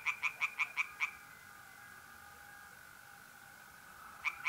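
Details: Tree frog at a pond in North-East Italy on a mid-April night, giving six quick, evenly spaced croaks, then a pause and two more, with mole crickets trilling steadily behind.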